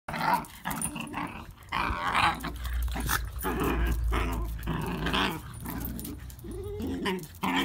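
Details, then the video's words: Two or more pet whippets indoors playing bitey face, their favourite game; rough throaty growls and snarls rise and fall in bursts through the play, with scuffling noises. "Whippet Life - Bitey Face 😋"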